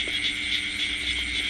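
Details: Many small paddy-field frogs (khiat i-aeng) croaking at once in a rice paddy after rain, a shrill, grating chorus with rhythmic pulses roughly every quarter second over a constant low drone.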